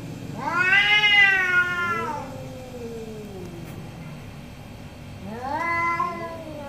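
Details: Orange cats debating in the morning: a strong drawn-out meow that slides down into a lower moan, quiet gap, then another rising meow begins.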